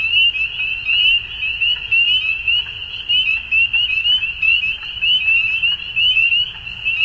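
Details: Chorus of frogs at dusk during spring in Ontario, Canada, made of bright, rapid peeps piled on one another into a shrill continuous ring that rises and falls in volume.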